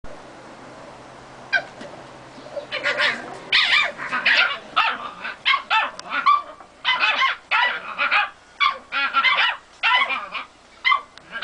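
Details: Three male Staffordshire bull terrier puppies, seven weeks old, playing in a garden; a quiet start gives way to dense bursts of high, squealing yips and short barks, tumbling over one another in quick succession for several seconds.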